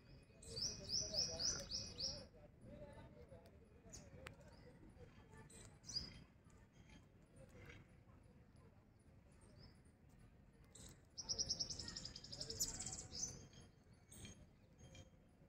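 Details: Squirrel giving rapid high-pitched chirping trills in two bursts of about two seconds each, fast repeated notes, with scattered clicks and a low steady rumble between bursts.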